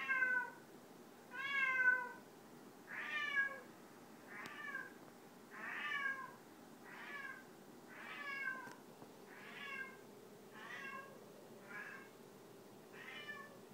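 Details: Male pet cat singing, something he does several times a day and almost every night. Ten drawn-out, wavering meows with falling harmonics, one about every 1.3 seconds, over a quiet indoor background.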